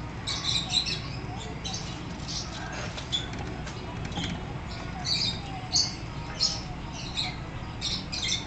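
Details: A newly arrived degu at a pet shop in Kobe gives brief, high-pitched squeaks and chirps in irregular clusters, some doubled or tripled, over a steady low indoor hum and faint rustling.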